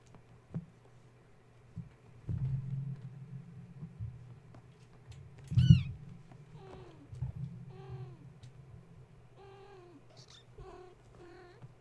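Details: Kittens of the mother cat Gaia, woken at bedtime by a space heater being plugged in and too wound up to settle for nursing: a run of thin, high, bending mews, several in quick succession, with thumps of climbing and a low electrical hum.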